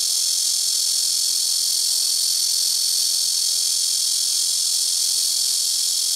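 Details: Loud blackish cicada chorus from trees beside a house roof: an unbroken, intense, hissing high-pitched drone at constant volume throughout, with no pauses or other sounds.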